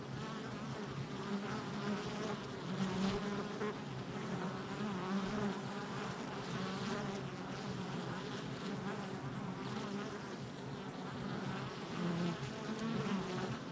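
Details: Honey bee hive entrance in summer, July 22nd, 2024: many bees produce an unbroken droning hum, layered wingbeat tones swelling and fading as bees fly near, steady loudness from start to end.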